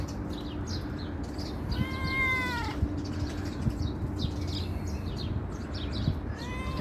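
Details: Calico cat, among homeless and stray cats being fed, coming when called; one drawn-out, falling meow in the middle, a brief rising meow at the end, over steady low background hum.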